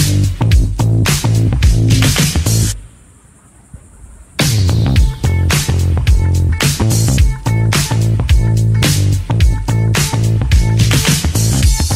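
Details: Upbeat funk-style electronic music with a driving beat plays almost throughout, broken by a short near-silent pause before the beat returns.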